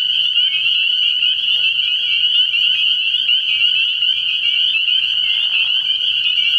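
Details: Early-year nighttime frog pond full of spring peepers, high piercing peeps overlapping into a continuous ringing chorus, a faint low hum beneath and a short soft rustle toward the end.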